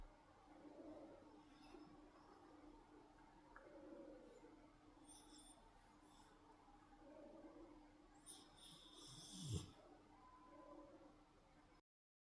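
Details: Sleeping dog, two weeks into life with its owner, snoring softly: slow, low rasping breaths swelling about every three seconds, with a louder snort near nine and a half seconds over a faint steady indoor hum.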